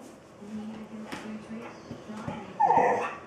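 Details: Karl, a pet Australian Shepherd begging to be scratched, makes a short series of low moaning whines, then a louder higher yelp-like cry near the end; a person murmurs softly in Spanish.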